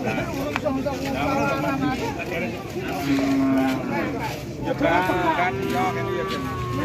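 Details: Repeated moos from large cattle traded at a crowded Indonesian livestock market, rare jumbo animals arriving late with buyers vying for them; separate drawn-out lows a second or two apart, mixed with people talking and faint music.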